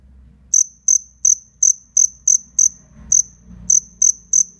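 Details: Shrill, evenly spaced chirps come from a black cricket in a fierce fight, roughly three per second, pausing briefly midway over soft low background noise.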